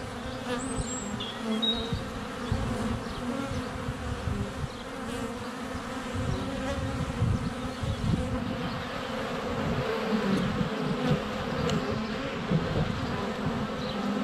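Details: Many honey bees whirring at a hive entrance on a sunny February day, captured with a GoPro Hero 7 Black under a foot away. A continuous low buzz fills the recording, with thin high birdsong whistles early on.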